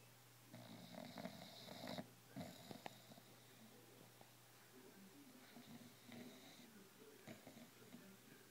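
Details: Wrigley, a bulldog who spends about 18 hours a day lying on his couch, snores in rough, wheezy, uneven breaths with snorting bursts in a quiet indoor room.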